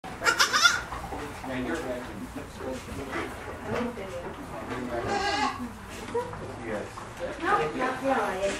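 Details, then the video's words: Baby goats at a farm in Sturgeon Bay, Wisconsin: high, quavering bleats burst out at the start, again near the middle and toward the end, while people chat steadily throughout. "Baby Goats"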